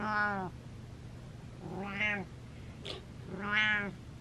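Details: Domestic cat Butters meowing insistently: three loud, bright meows, each slightly rising then falling, spaced roughly every one and a half seconds, a brief click between the second and third, low background hum.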